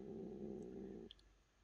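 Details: Cat giving a low, rough, steady growl lasting about one second, rumbling with no rise or fall, then breaking off into near silence with two faint high clicks in a small quiet room.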